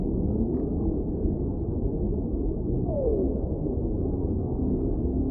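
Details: A whale's single descending moan glides downward midway through, partly buried in dense, constant low-frequency underwater noise.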